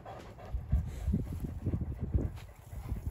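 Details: Female Kangal shepherd dog on a farm in Sarıyer, Turkey, muddy after a mud bath, panting in quick breathy huffs, roughly three to four per second, low and rhythmic over a steady faint hiss.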